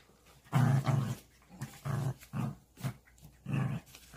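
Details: Pet dog at home during play, giving short low growling bursts about every half second, each rough and throaty, with pauses between, in a small indoor room.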